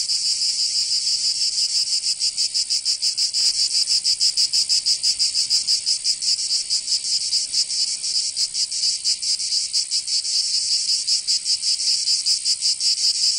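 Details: Provence summer cicadas, southern France: an unbroken high metallic buzz with quick throbbing beats, slightly uneven in strength, steady and loud throughout.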